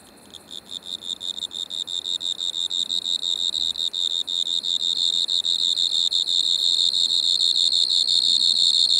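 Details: Striped Marsh-cricket in Maggia, Switzerland, 1 September 2023, captured through an ultrasound detector: a high trill made of rapid chirp-like pulses, about three per second at first, swelling in volume and merging into a continuous ringing buzz.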